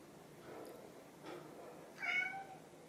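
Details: Hungry pet cats, an orange tabby named Chai and a grey tabby named Sushi, begging for food indoors; one short harmonic meow near the end follows faint softer sounds, against a quiet room hush.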